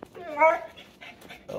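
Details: Pit Bull dog 'talking' about something under the couch: a short, wavering, voice-like yowl rising then falling, followed by softer murmured sounds and a brief final note, with the owner questioning it nearby.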